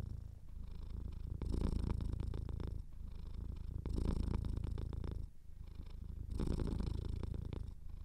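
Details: Cat with a slightly clogged nose purring steadily; deep, throbbing rumble rising into stronger bursts roughly every two and a half seconds as it breathes in and out, a soft snuffly edge on top.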